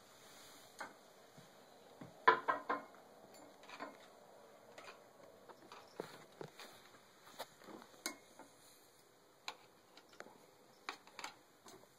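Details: Scattered clicks, taps and light clinking of dishes in a small quiet room, with no animal voice.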